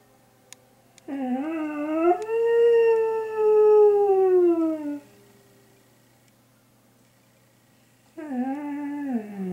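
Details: A dog howls in response to an air raid siren. It gives one long, wolf-like howl that swells, holds, then slides slowly downward over about four seconds. After a silence, a second howl begins, while a low steady hum runs underneath.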